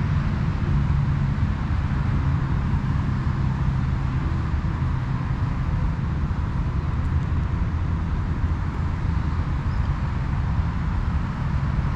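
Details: Steady roar of passing road traffic and low engine rumble throughout, with no animal voices.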